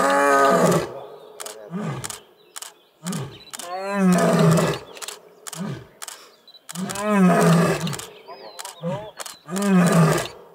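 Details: In Gir National Park, India, on a game drive, sub-adult Asiatic lions give deep, rumbling roar grunts, heavy moaning bursts every second or two, challenging another adult lion.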